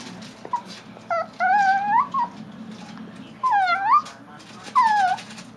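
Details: A Chihuahua gnaws a bone and gives several short, rising squeaky growls, likened to a dolphin's calls. The squeals are spaced a second or two apart against low room noise.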